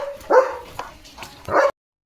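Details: Leo, a German Shepherd, in the yard on a day of rain with a rainbow overhead: two short, loud, tonal barks about a second apart, with quiet pauses and a spoken voice nearby.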